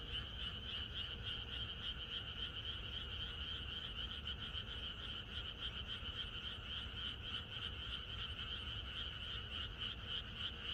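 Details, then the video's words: Chorus of many frogs in the countryside on the night before rain: dense, rapid pulsed croaking, roughly three to four pulses per second, layered in a high, bright band over a lower one, steady throughout with no other sounds. "비가 오려나?이것이 자연의 소리 ~개구리들의 합창"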